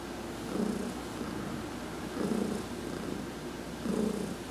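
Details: Adopted cat Heidi purrs under a massage while sunbathing, November 19, 2020: three slow, even swells of low rumbling, each lasting close to a second, against a quiet background hiss.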